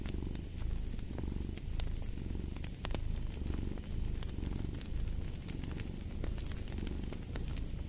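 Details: Cat purring deeply in rhythmic swells roughly every second or so, with crisp fireplace crackles popping over the rumble.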